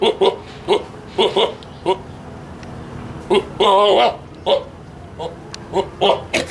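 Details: A Boer goat gives short, hiccuping grunts and one longer, quavering bleat; the female Boer goat was ill, possibly causing the unusual noises.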